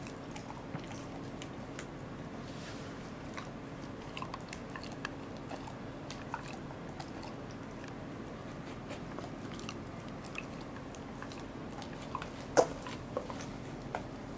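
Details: Goro the Welsh Corgi biting and crunching through a fish, 2 August 2014. Sharp crunches repeat at uneven intervals, with one louder crack near the end, over a faint steady hum.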